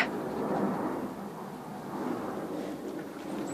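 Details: Low, steady outdoor rumble like a passing vehicle fills the short stretch, with no distinct barks or other animal calls.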